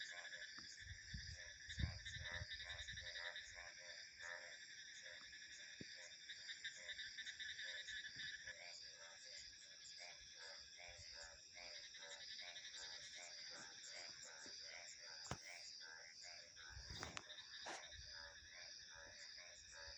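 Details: Frogs calling in a dense chorus of short, rapid pulsed croaks repeated nearly twice a second, over a steady high, shrill insect and cricket drone, with a few low gusts of wind at the start.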